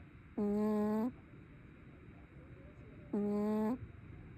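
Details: A sleeping brown tabby cat snores in two drawn-out, humming breaths about three seconds apart. Each is a steady, buzzy tone that lifts slightly at its end, with near-silence in a small quiet space between them.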